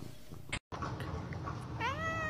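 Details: Domestic cat in a pet compilation giving one short meow near the end, rising then falling slightly, over steady indoor background noise and faint clicks.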